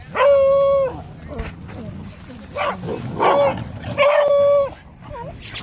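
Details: Two-year-old male Alaskan Malamute on his birthday at a dog park full of other dogs. Loud, drawn-out whining howls, each lasting about half a second to a second, come in three bursts, along with a short rising yip and people chatting and laughing.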